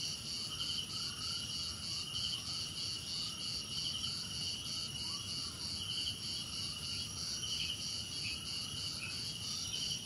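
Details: Chorus of crickets with continuous high trilling, short bright chirps recurring about once a second, and faint lower sliding notes scattered through, over a steady insect hiss.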